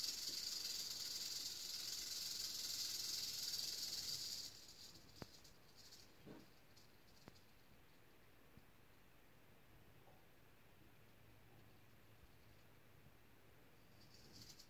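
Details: Eastern diamondback rattlesnake giving a loud, high hissing rattle for roughly four seconds that stops abruptly, followed by near quiet with a few soft knocks and clicks, then a brief faint buzz again at the very end.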